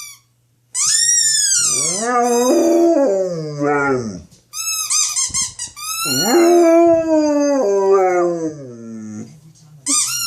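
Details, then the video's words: Yawk, a male pet dog, howling in protest at his football's sound: long, wavering, high-pitched howls rising and falling, in two extended bouts with a brief break between them. "Dog hates his football sound"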